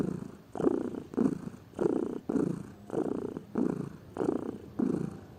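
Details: Lazy pet cat purring steadily indoors, a low rumbling churn broken into rhythmic breath pulses about every half second, each inhale and exhale phase heard as a separate burst.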